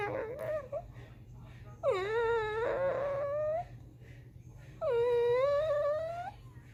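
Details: Pet dog crying indoors because it wants to be up on the couch: long tonal whining cries that rise and wobble in pitch, three drawn-out whimpers with faint room hum between them.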